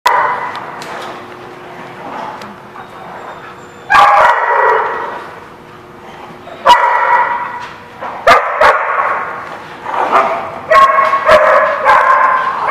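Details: Several dogs bark at a boarding lot in a noisy chorus, loud overlapping barks in bursts with sharp clanks and a steady hum underneath.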